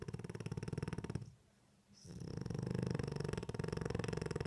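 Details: A French Bulldog snoring in its sleep with eyes open. It makes a rapid buzzing, purr-like rattle, breaks off briefly near the middle, then resumes as a steady vibrating snore.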